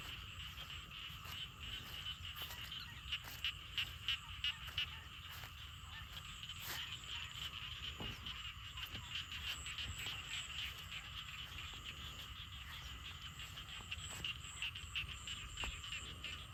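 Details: Frogs and small frogs calling after rain near a garden, a softer continuous chorus of buzzy croaks, broken by many sharp clicks and knocks from nearby handling.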